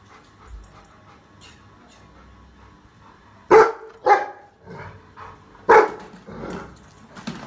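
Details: Young Rottweiler reacting to a trolley bag with a few loud, abrupt barks in two pairs after a quiet opening, then softer trailing noises indoors.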